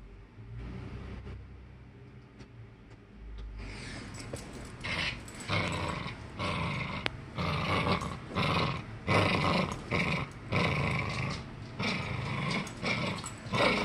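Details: A Norfolk Terrier growling while playing tug of war: quiet start, then from about four seconds a run of rough, throaty growls in bursts roughly every second, with rustling and tugging noises.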